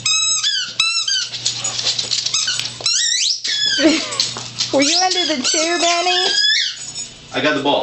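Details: Little dog indoors playing with a big dog and ducking under a chair; high falling squeaky yelps early, then a person speaking, with a low steady hum.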